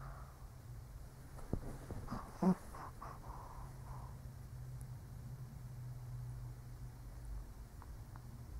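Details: An old Shih Tzu asleep indoors, giving a cluster of short, rough snorting breaths in the middle of the stretch, then quiet low steady hum with soft breathing.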